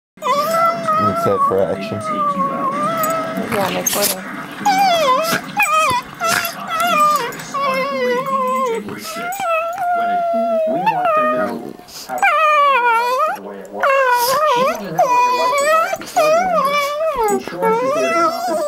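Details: Two Rat Terriers named Brewtus and Whiskey playing together in the morning: long, wavering, whiny howls that rise and fall in pitch, almost unbroken and overlapping, with brief sharp bursts and a short pause near the middle.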